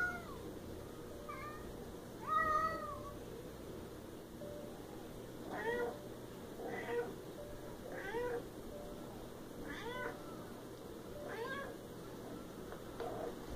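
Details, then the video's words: Siamese cat giving a series of short, harmonic meows at irregular intervals of one to three seconds, some rising then falling, over a steady low background hum. "Siamese Cat & Cat sounds"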